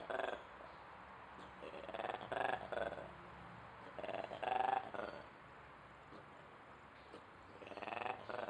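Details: Ape in Duisburg Zoo giving a run of strange rasping, pulsed bursts in irregular clusters, some doubled, separated by short quiet gaps, with another burst at the end.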